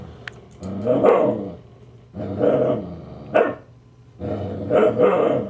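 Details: Husky Siku, grouchy and baring teeth, growls at teasing puppy Loki: three long rough growling bursts, each around a second, rising and falling with gaps between, plus one brief sharp snap.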